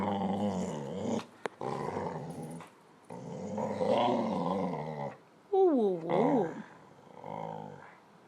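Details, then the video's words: Pet dog "talking" to its owner indoors over a ball, giving long, harmonic, moaning growls that rise and fall in waves, with short breaks between, ending in a higher whining yowl with sliding pitch. "Talking dog"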